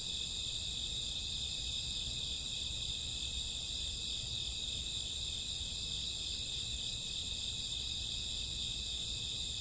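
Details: Night chorus of crickets in summer or autumn: a continuous shrill, even-toned high trilling that never pauses, with a soft low rumble underneath.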